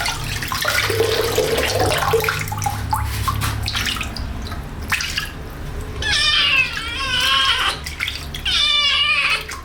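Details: A young cat's first bath: splashing and running water fill the first half, then two loud, wavering, strained meows rise above the wet background near the end.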